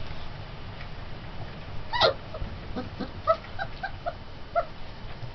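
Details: Turkmen Alabai puppies, twenty days old, giving a sharp yip followed by a run of short, soft whimpering squeaks repeated about every quarter second, against low background rumble.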